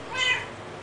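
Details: One brief, high, rising-falling meow from a talking cat, clear and harmonic, with a person's voice just before and after.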